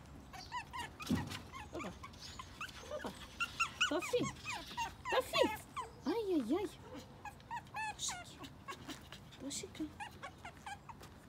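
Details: Two Brussels Griffons vocalizing: a series of high, arching whines and short yelps, irregular and excited, repeated for about eleven seconds, with a woman talking in Russian between them.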